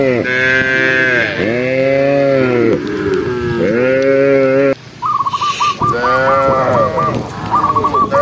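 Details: Tame cows running happily down a green hill while being herded in the countryside: three long, deep, wavering moos, the last breaking off around five seconds, then a quick run of high whistled notes.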